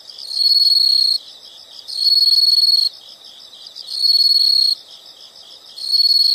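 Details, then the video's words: Insect nature sound with loud shrill high trills lasting about a second each, repeated roughly every two seconds, with a softer pulsing chirp filling the gaps between them. "the sound of insects"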